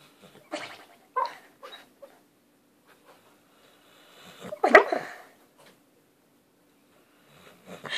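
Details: A sleeping pet dog making funny noises while dreaming: scattered short snuffly squeaks and soft whimpers, then a louder sneezy hiccup burst midway and more whines at the end, recorded indoors at poor quality.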